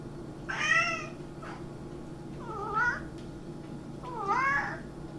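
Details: Three cat meows spaced over about four seconds; the first is bright and wavering, the second lower and shorter, and the third rises then falls. A constant low hum runs underneath.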